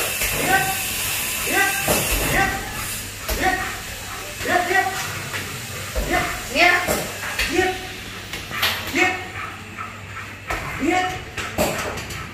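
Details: A very large 47 kg Belgian Malinois barks during bite training, with short harmonic barks repeating at irregular intervals while a handler calls out short commands close by.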